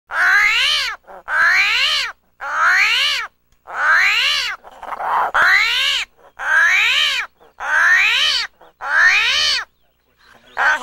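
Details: Armadillo screaming: loud, wailing cries, each about a second long, arching up then down in pitch with rich harmonics. They repeat steadily, roughly once every second and a half, separated by short silences.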